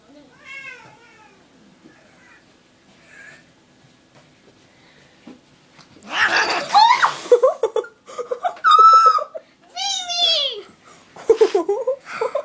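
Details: Cat attacked by a bigger cat for no reason, angry vocalising: quiet harmonic wails, then loud harsh yowls and broken noisy bursts from about six seconds on, mixed with a woman's voice.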